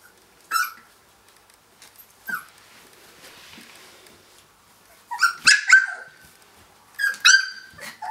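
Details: Finnish Lapphund puppies, three weeks old, at play after breakfast: scattered short squeaks, then a cluster of sharp yelps and whines near the end, with quiet gaps between.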